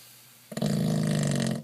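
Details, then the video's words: George the pug lets out one rough, vibrating snore of about a second, a low growly buzz with rapid fluttering pulses that starts abruptly and fades at the end, against a faint indoor hum. "George the snoring pug strikes again!"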